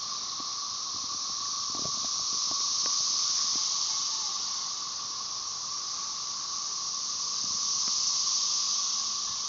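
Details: Magicicada tredecassini periodical cicadas of Brood XIX chorusing at Tyler Bend Park near Marshall, Arkansas, on May 30, 2011, with M. tredecim behind: a dense, steady high hiss, swelling and fading slowly, over a lower continuous drone band.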